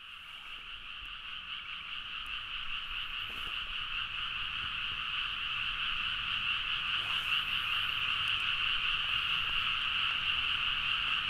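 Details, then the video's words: Frogs in a loud midnight chorus in rice paddies at Nagaoka, Niigata, Japan, recorded on a Zoom H4n; dense, continuous croaking and trilling in two bright bands, swelling gradually louder over the first seconds and then holding steady. "The frog sound at mid night (環境,自然音 -深夜のカエル大合唱-)"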